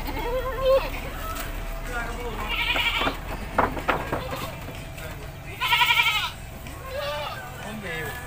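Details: Village goat bleating during its bath: a wavering, pulsed bleat midway and a louder quavering one near the end, with people talking throughout and faint music behind.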